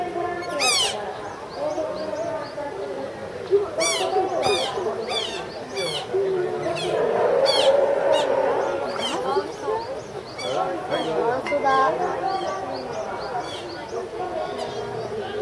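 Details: Asian small-clawed otters at Ueno Zoo, filmed March 2016, give high sharp chirps and squeaks repeated in quick bursts, with a steady murmur of visitors' voices throughout.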